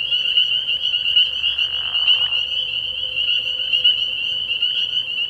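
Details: Dense chorus of spring peepers at a night pond in early spring, high piercing peeps pulsing unbroken throughout, with a soft lower rasping burst in the middle.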